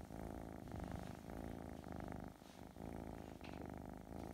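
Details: Gentle Russian Blue kitten Ruzara Rufina, a cattery cat, gives a close, loud purr, a low throbbing rumble in rhythmic breathing cycles with a short pause near the middle.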